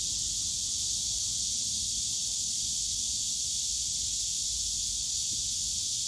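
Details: Summer cicada chorus from a bamboo forest in Yongsan Family Park: continuous bright buzzing wall of sound, even in loudness from start to finish, over soft low background hum of the park.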